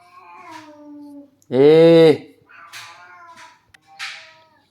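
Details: Pet cat that seeks a massage after fighting or playing: one loud, drawn-out meow of about three-quarters of a second with strong harmonics, set between softer human speech before and after.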